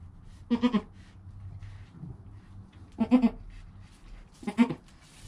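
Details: Goat kid Joel in his first hour of life, mother Penny nearby, recorded with a GoPro: three clear wavering bleats spaced about two seconds apart, each short and harmonic-rich, over quiet low rumble.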